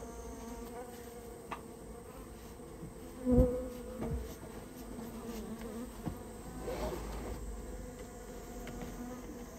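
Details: A removal of a rare Japanese honey bee nest from a storehouse: a low swarm hum runs throughout, broken by scattered clicks and a sharp knock, with a louder surge of buzzing late on.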